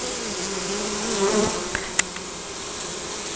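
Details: Honey bees around their hive in spring, Nikon Coolpix S5100 recording: single bees buzz close by with clear humming tones that bend up and down, over the steady hum of the colony, with a few sharp clicks.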